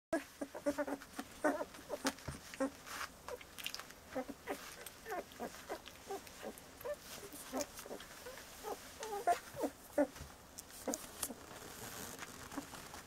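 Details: Bordoodle puppies, 17 days old, making soft short squeaks and whimpers, many brief high notes scattered across the recording amid light rustling and pattering.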